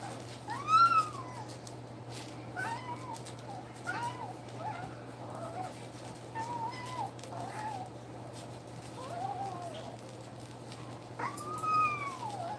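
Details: Nursing puppies two weeks old keep up a string of high, arched whines, roughly one every second or two, a few louder and sharper than the rest, against a constant low hum.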